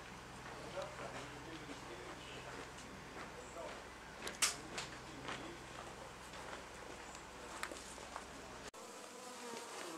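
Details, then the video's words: Wild honey bee colony nesting in an old storage box at the Anson Engine Museum: a dense, wavering hum of many bees with rising and falling buzz tones, scattered sharp taps and clicks, and an abrupt cut near the end. "Honey Bees at the Anson Engine Museum"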